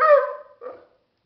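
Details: A male Dogo Argentino vocalizing at his owner, seemingly trying to communicate. He gives one short, high, nasal whining yelp that slides down, then a softer, brief grumble.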